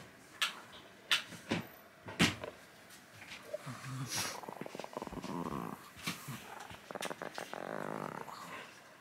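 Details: Angry Chihuahua named Kohaku growling in a lazy, sloppy way: sharp knocks and clicks early on, then two spells of throaty, rattling growl, one midway and a longer one near the close.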